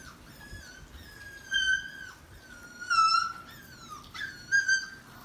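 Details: Puppies from a litter at play with a German Shepherd: high, nasal whimpers and yelps, drawn out and slightly falling, coming in three louder bursts over about five seconds against a quiet indoor background.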